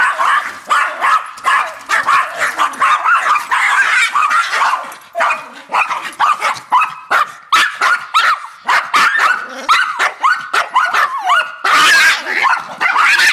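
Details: Several Yorkshire terriers bark excitedly at a raccoon and each other, producing high, sharp yaps in quick overlapping bursts, a near-constant clamor with occasional thinner yips and a whining note.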